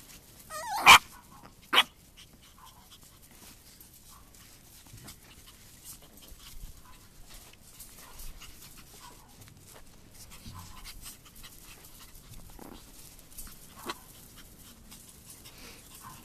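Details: AKC Chihuahua puppies playing outside on a warm February day: two sharp, high yips burst out close together near the start, followed by long stretches of soft rustling and faint scuffling with only occasional small squeaks.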